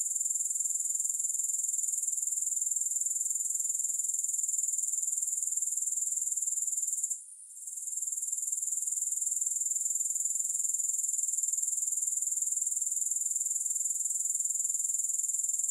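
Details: Continuous shrill insect buzz from a grasshopper, made of fast regular pulses that hold an even loudness. About halfway through the sound drops out briefly, then comes back at full strength. No other sounds.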